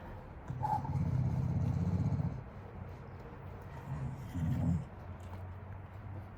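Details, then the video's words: The General, a grumbly wire-haired Dachshund just out of a shelter, getting an indoor bath: a low, steady rumbling grumble lasting about two seconds, a pause, then a shorter second rumble. "Grumbly wire hair DACHSHUND gets a bath, sort of"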